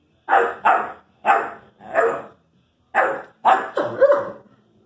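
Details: Young Irish Wolfhound talking to his brother: paired short barks, a pause, then a final bark sliding into a wavering, whining tone.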